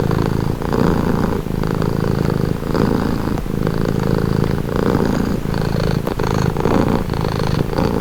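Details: Domestic cat purring steadily: a low, continuous rumbling drone that swells and eases in alternating breath phases roughly every second, with no other sounds standing out.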